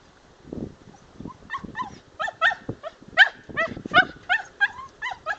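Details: Jack, a young dog on his first squirrel hunt, in drive-building training outdoors: soft low thumps at first, then sharp, high yelping barks about once a second that grow louder toward the end.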